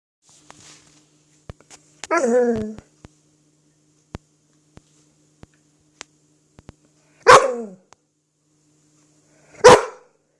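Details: Cruz, a pet dog playing with an apple, gives three short harmonic woofs: a growly double burst near the start, then two sharper single barks about two seconds apart, with quiet indoor clicks between.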